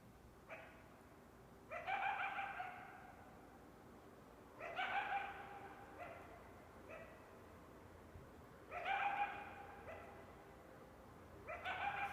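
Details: Coyote giving harmonic, slightly rising bark-howls, some drawn out to nearly a second and others short and clipped, in irregular bursts every two to four seconds over a quiet background.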